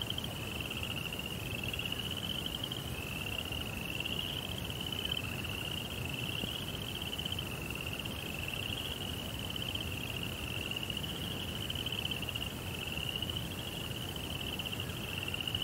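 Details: Crickets in a Japanese Zen garden at night with a koi pond: a high shrill trill broken into wavering pulses roughly every second, steady and unbroken, with a quiet low murmur underneath.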